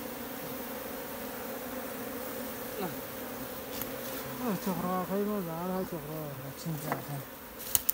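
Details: Wild honey bee swarm in a Nepal jungle, caught by bare hands from a tree for a new hive. A steady low drone runs throughout, and close wavering buzzes rise and fall midway as single bees pass near.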